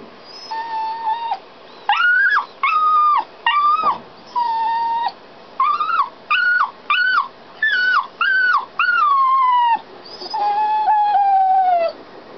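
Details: Left locked inside a canal boat while owners worked locks and steered, a dog cries in a rapid series of short, clear whines, roughly one per half second, ending in a longer falling whimper.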